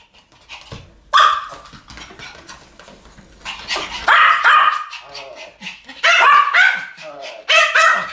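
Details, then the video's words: Pomeranian pair barking in a duet: scattered high yips building into loud, rapid clusters of sharp barks, with quieter stretches between and faint low background noise. "ポメラニアン Pomeranian デュエット吠え 1000回 犬の鳴き声"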